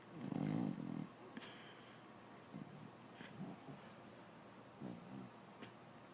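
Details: A female English bulldog snores while her pup nurses, giving one loud, rumbling, low snort followed by softer, uneven wheezy breaths.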